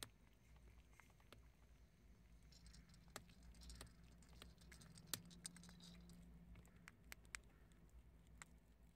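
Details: Prairie dogs crunching chickpeas: scattered sharp clicks and crackles, some louder snaps, bunched more densely in the middle, with a low background hum throughout.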